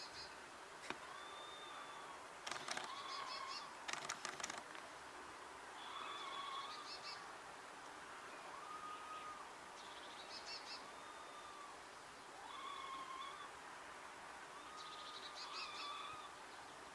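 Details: Wild red squirrels, two females, communicating across a distance with long, level whistles repeated at intervals, several with buzzy upper tones; a burst of sharp clicks and rustling breaks in early on, then steady whistling resumes.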